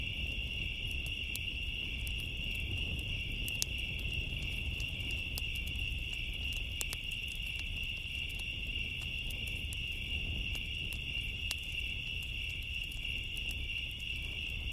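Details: Crickets on a summer night keep up a steady, high, shimmering trill over the snap and pop of a crackling bonfire.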